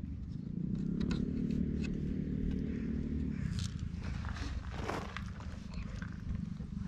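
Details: Stray silver mackerel tabby cat relaxing on a park bench, filmed with a GoPro while being petted: a steady low rumbling purr for about three seconds, then rustling handling noise.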